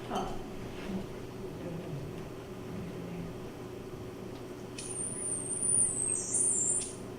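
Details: A killer whale (Orcinus orca), recorded underwater off the BC coast, gives a thin, high, pure narrow-band whistle that wavers and dips briefly before ending.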